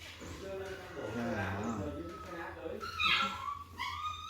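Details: Puppy at a family home in Vietnam early in the morning, suddenly frantic as coffee and corn are served for breakfast; high, thin whining whimpers that rise and break into two short bursts near the end, over people talking in Korean and Vietnamese.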